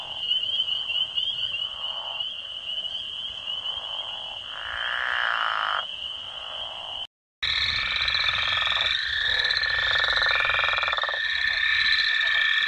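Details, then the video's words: Frogs and toads at night giving a sustained high trill layered with lower, drawn-out buzzy calls that swell and fade; after a short break the chorus resumes with several overlapping trills. "Frogs & Toads wide variety of sounds"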